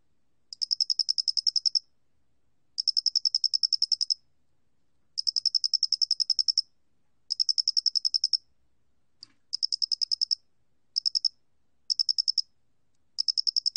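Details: A Loxoblemmus doenitzi cricket, recorded for the National Institute of Biological Resources in 2020, giving a long run of shrill pulse trains, some a second long and some broken into short clusters, with a faint click midway.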